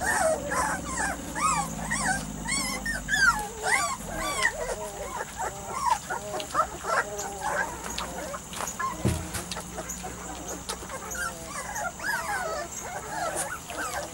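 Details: Weimaraner x Vizsla crossbred puppies at three to four weeks of age give a dense chorus of thin, wavering whines and squeaky yelps. Several pups call at once, with a brief thump partway through and a faint background hum.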